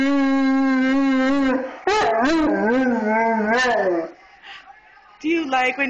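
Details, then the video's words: Grim, a 230-pound Bullmastiff, sings along indoors as Jimmy Fallon plays Twinkle Twinkle Little Star on a mini harmonica. A long, steady, tonal note is followed by wavering, rising-and-falling howled tones. A brief quieter pause comes before another howl starts. "Bull Mastiff singing with Jimmy Fallon"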